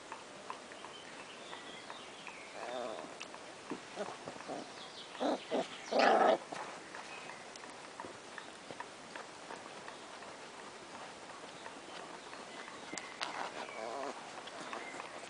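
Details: Wirehaired Vizsla pups, from two days to four weeks old, from two Zöldmáli litters, tended by the dam Alma while another mother sleeps; short, sparse whining squeaks and whimpers, a few loud thumps and soft rustling between them.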